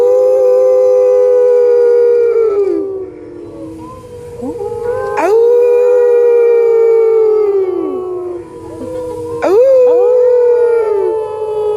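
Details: Gray wolves at the San Diego Zoo in 2014 howl in long, sustained, overlapping tones that slide downward at the ends, replying to people howling at them.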